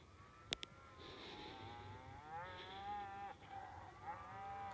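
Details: Cows in Poland panicking and defending themselves after wolves seized a calf: several overlapping, wavering, drawn-out bellowing calls from a distance, rising and falling, with two sharp knocks early on and a faint rural background.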